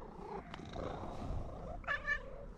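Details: Fluffy orange female cat greeting a familiar person with happy, affectionate sounds: a brief, bright, two-part trilling chirp near the end over faint low rumbling background noise.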